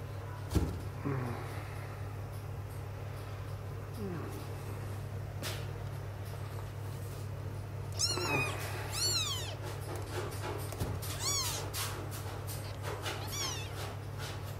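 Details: Six-day-old Sphynx kittens cry with repeated shrill, arching mews in quick bursts, mostly in the latter half, amid rustling and handling noises over a constant electrical hum during a carpet change.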